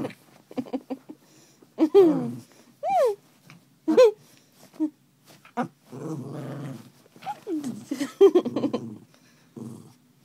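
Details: Pet dog being playful after waking its owner, giving a run of whiny, rising-and-falling vocal yelps and short growly grumbles at irregular intervals indoors, with brief quiet gaps between bursts.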